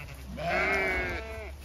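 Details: One Zwartbles ewe on a County Kilkenny farm in Ireland, autumn, calls while her field is checked: a single drawn-out, wavering bleat lasting about a second, with a low steady background hum.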